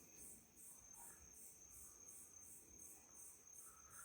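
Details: Crickets calling at night at a country property in Itariri, Brazil: a steady high shrill chorus pulsing in rapid beats, with a constant high tone beneath and faint lower chirps.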